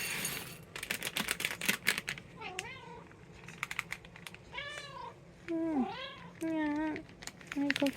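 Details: Domestic cats, Munchkin and Abyssinian, at home on 18 February 2026: several drawn-out, wavering meows with rising and falling pitch, some short and clipped, amid a person's chatter and soft tapping and handling noises.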